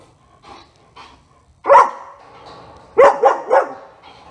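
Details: German Shepherd at a dog training session: a few faint sounds, then one loud sharp bark followed by a quick burst of three barks, with quiet gaps between.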